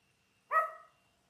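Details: Labrador Retriever puppy aged ten days, from a litter of six born January 18, 2022, watched on a live puppy cam, gives one short clear whimper with a brief, falling tail, in otherwise quiet surroundings.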